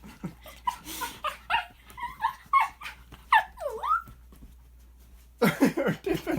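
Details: Shih Tzu dog coaxed by its owner into making weird noises, a run of whiny yelps and rising-falling squeaky whimpers with swooping pitch, then a burst of rapid yips near the end.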